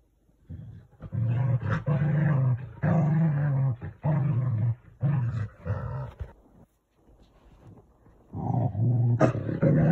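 A corgi growls in low, rumbling bursts of a second or two, voicing disapproval.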